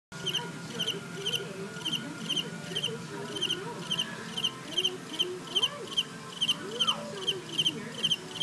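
A cicada produces a high, rasping buzz broken into short, regular pulses, several each second. Faint lower voices, like people talking, murmur in the background.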